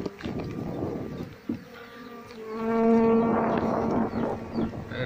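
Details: Apis cerana honey bees swarming as a nest comb is cut during a harvest from a home-kept colony; muffled rustling and a voice give way to a loud, steady droning hum with clear overtones midway.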